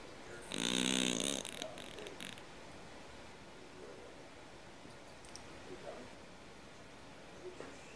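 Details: Sleeping cat snoring loudly, said to snore like a man; one harsh buzzy snore lasting about a second, with a strong low tone and bright upper overtones, followed by quiet room noise and a few faint clicks.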